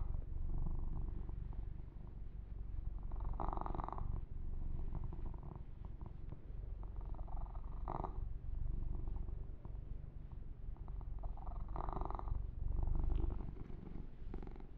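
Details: Male kitten purring contentedly under massage, a dense low rumble pulsing evenly, overlaid by several short rasping strokes of hands grooming its fur near the microphone.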